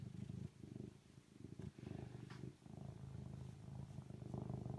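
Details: Serval purring: a low, throbbing rumble in uneven bouts, broken by short quiet gaps near half a second, one and three-quarter seconds and two and a half seconds, with faint rustling above.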